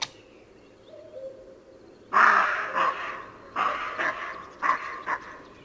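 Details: A roe deer in a nature field recording made with a parabolic microphone gives a series of harsh, hoarse barks, each short and gruff, with a slight echo.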